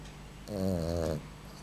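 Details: A Boxer puppy asleep gives one low, buzzing snore lasting under a second over a quiet indoor hum.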